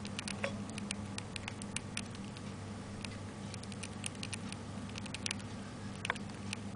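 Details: ['Pet hamster recorded on 29 May 2005, probably eating pellets; rapid dry crunching clicks and tiny snaps come irregularly, several per second, over a steady low indoor hum.']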